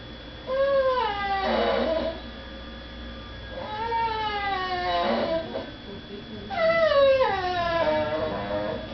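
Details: Female dog crying indoors because she is kept from begging at the dinner table while people eat in another room; three long drawn-out whines, each falling in pitch and breaking into a rougher tail, about two seconds apart.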